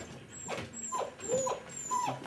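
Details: Border Collie puppies giving high, thin whimpering yelps, about four arching cries rising then falling, spaced roughly half a second apart, over a quiet indoor background.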